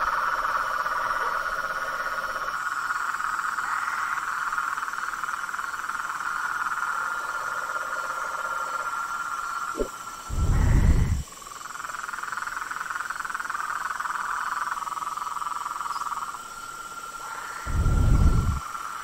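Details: Frog chorus in nature: overlapping pulsed trills at different pitches run continuously, cut by two loud, low rumbling thumps, with a constant high hiss behind.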